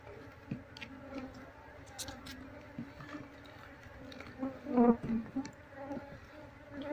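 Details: Quiet low droning of honey bees being moved into a cardboard cultivation box, with faint ticking and a brief louder surge of buzzing near the end.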